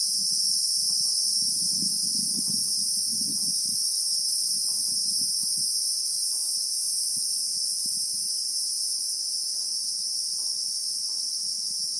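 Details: South African bushveld scene with Christmas beetles (Anoplognathus) filling the air with a steady, ringing high-pitched buzz that never pauses, while a soft low rustle or rumble sits beneath during the first seconds.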